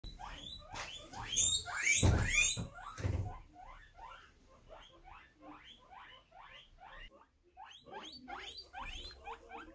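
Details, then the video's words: Guinea pig wheeking: a fast series of short rising squeaks, about four a second, with a burst of loud, harsh, high wheeks early on before the calls settle into a steady, softer chirping run. "Guinea pig wheeking"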